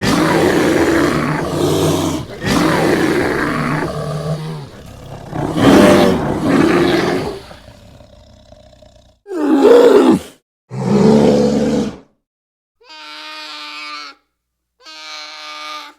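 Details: An American black bear gives deep, rough growls and drawn-out moaning roars, separated by short pauses.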